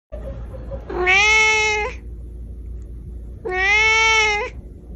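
A Persian cat gives two drawn-out, rich meows about two seconds apart.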